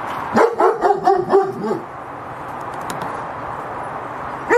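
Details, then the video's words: Cambodian German Shepherd guard dog giving a rapid run of about six sharp barks in just over a second, then quiet hiss and one more bark at the end. "Best security guard dog are German shepherd [barking]"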